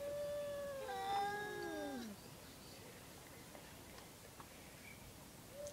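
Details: Two domestic cats making strange noises: a long, wailing yowl joined by a second overlapping voice, the two tones sliding downward together before fading, then near quiet with a brief final whine.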